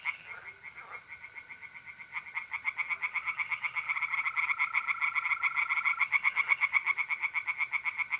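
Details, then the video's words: Tree frogs calling at night in mid-April from a pond in north-east Italy: pulsed croaks build from soft to loud in a quick regular rhythm over a sustained mole cricket trill. "singing tree frogs in pond and trilling mole crickets by night"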